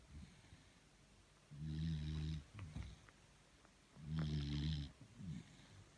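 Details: Tired beagle asleep and snoring: two deep, buzzing, low snores, each nearly a second long and about two and a half seconds apart, with quiet breathing between them.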